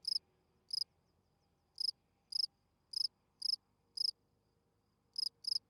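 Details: Spring field cricket singing its calling song at night to attract females, steady high chirps, each a tight cluster of pulses, coming in pairs and singles about every half second over a soft background hiss.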